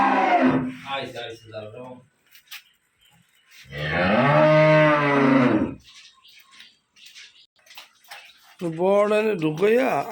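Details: Dairy cows kept on a farm in Khulna, Bangladesh, alongside a heifer calf, low in a drawn-out nasal bellow near the middle. Rougher, broken lowing comes at the start and a wavering call rises at the end, with faint background noises in between.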